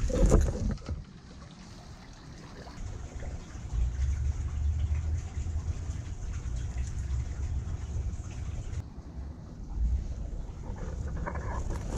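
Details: Low rumbling engine-like noise with trickling water, and no animal voice to be heard. The rumble rises and falls, with brief splashy bursts near the start and end.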